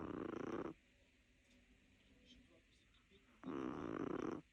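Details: Small Chihuahua named Lilou snoring: two raspy, breathy snores, one at the very start and another about three seconds later, separated by a quiet pause with faint room noise.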